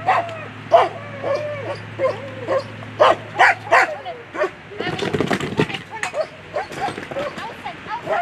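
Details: German Shepherd at a world championship agility competition, giving repeated short, high yelping barks at an irregular pace amid crowd noise, voices and a low steady hum.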